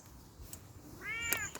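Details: Bengal kitten on a walk outside utters a single arched meow in the second half, a brief sharp click breaking through it, with low background rumble.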